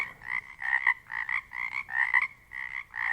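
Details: Pacific chorus frogs in a dense Pacific Northwest chorus, rasping croaks coming in quick irregular bursts, close and loud over a continuous buzzing background of other frogs, no other sounds evident.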